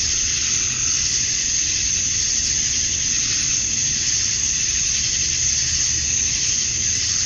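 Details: Male cicadas on a summer evening at dusk in Georgia, USA, calling to attract females: an unbroken sizzling, high buzz with a steady piercing edge and gentle surges in loudness, plus a faint low hum below.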